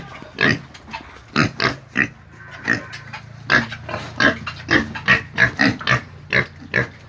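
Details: Squealing pigs give quick, strained calls with a thin high edge, about a dozen bursts in seven seconds, bunching closer together in the middle before spacing out again.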